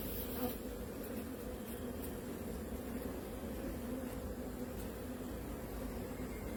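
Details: Honey bees on a beekeeping farm, linked to the colony's queen: a steady, low, droning hum that continues without a break, with faint brief clicks.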